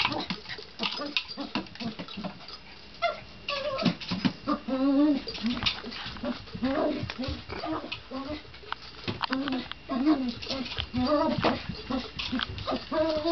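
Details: Male poodle, excited indoors while steering his Jolly ball around a coffee table and other obstacles, makes happy sounds: a run of high, wavering whimpers and squeaky whines rising and falling in pitch, repeated, with a person talking over them.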